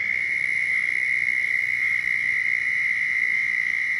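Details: Florida southern toad chorus during mating calls: one unbroken, even, high-pitched trill lasting the full four seconds over a low background hiss.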